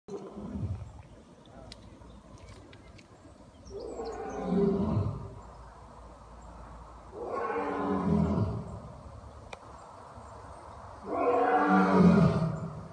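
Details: A captive lion, behind safety glass and an electric fence, roars in deep, rumbling bursts, each about two seconds long and repeated every few seconds.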